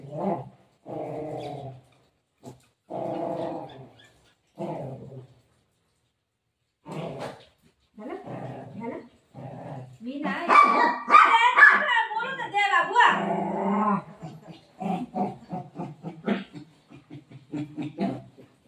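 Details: Pet Golden Retriever Milo resists taking his tablet, giving a series of low, throaty grumbling growls in short bursts, then a louder rougher stretch of vocalising as a woman speaks over him indoors.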